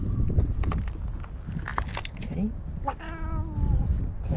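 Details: Stray park cat in Japan, described as ferocious, jealously kicking another black-and-white cat with her hind legs; a drawn-out harmonic meow near the third second, over a person talking throughout.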